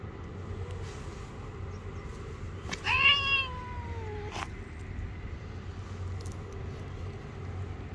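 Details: Street-living stray cat, angry and biting when touched, gives a single loud, harsh meow of nearly two seconds that starts high and slides steadily downward, with a soft low hum of background noise throughout.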